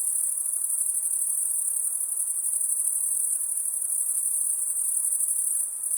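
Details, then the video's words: Insect calling at night: an unbroken, very high-pitched shrill buzz that holds steady without pause, with no other clear sounds. "High Pitched Insect Noise At Night"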